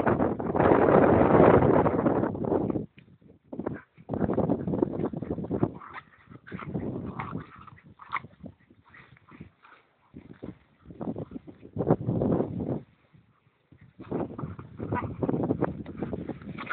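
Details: Two dogs, Emma an Irish Terrier and Karlson, playing wildly together; rough growls and whimpers come in bursts with short pauses, over rustling and wind-like noise.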